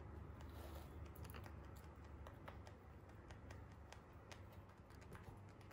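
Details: Free-roam Holland Lop rabbits eating hay indoors, giving quiet, irregular dry crunches and clicks several times a second over a low steady hum.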